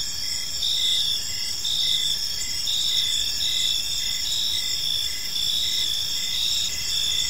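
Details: Evening in a park with crickets: an unbroken high-pitched trilling chorus and regularly spaced short chirps, many insects sounding together over quiet low background noise.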